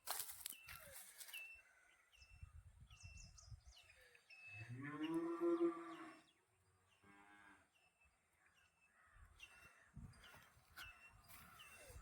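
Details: Khillari bull from Bavdhan, Maharashtra, tethered in shade, gives one loud, deep, harmonic moo lasting over a second, then a shorter, fainter second low call; small bird chirps and clicks in the background.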